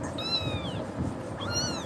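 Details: Scared little pet kitten, upset by Tiger's actions, lets out two thin, high-pitched meows about a second apart, each rising briefly then tapering down, against a soft low background noise.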